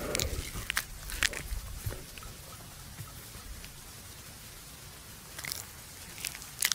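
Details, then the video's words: A resting buffalo chews the cud in a farmer's field at noon. Sharp crunchy bites come in a quick cluster at the start, then a quieter stretch, then more crisp chewing clicks near the end. "Sound buffalo chewing the cud"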